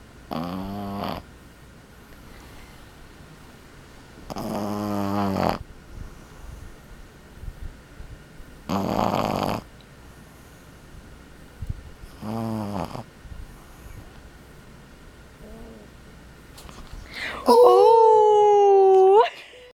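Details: A male Boston Terrier puppy, about 12 weeks old, snores in rough, rasping breaths about every four seconds.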